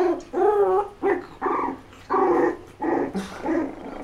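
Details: Month-old puppies from Milly's litter tussle in sibling rivalry, giving a string of six or seven rough, throaty growls and little barks, each burst lasting under half a second with brief gaps, close to the microphone in a small indoor room.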